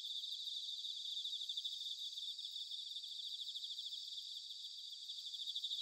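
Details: Autumn chorus of bell crickets from Sanuki in Chiba, Japan, captured with field recorders: steady high pulsing trill, fainter and distant, many overlapping singers forming an even shimmering band.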